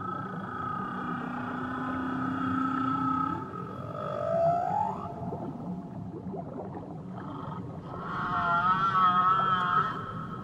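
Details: Tahiti whale song: a low steady moan that sweeps upward into a rising whoop, a pause, then a wavering, warbling high tonal phrase with harmonics, set against a continuous low underwater hum.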